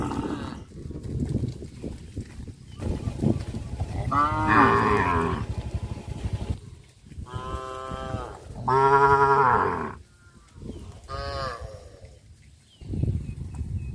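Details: Cattle in a herd walking and jumping through a rice field on a traditional village farm; several harmonic moos rise and fall, some overlapping, between stretches of low rumbling field noise.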